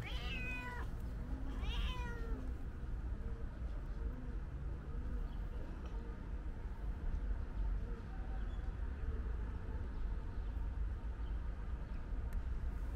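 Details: Calico cat meowing loudly as if trying to tell its owner something: two sharp rising meows in the first two seconds, then only soft low repeated sounds and steady background rumble.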